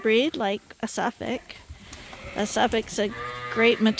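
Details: Bottle-fed lambs still kept with their mothers give scattered bleats, a few clear quavering cries mixed with short thin calls and quieter gaps, amid light farm noise.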